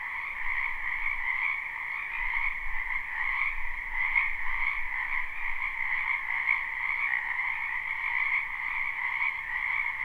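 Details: Frogs croaking in a spring wetland behind a house, recorded live: a louder, closer chorus where individual pulsing croaks ripple through the steady trilling mass, slightly uneven in rhythm, with faint low rumble beneath.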